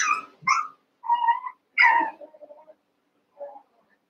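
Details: One-month-old Cavalier King Charles Spaniel puppies, eight together in a pen, wrestle and play. They give a run of short high yips and whining squeals in quick, irregular bursts, then a brief quieter whimper after a pause.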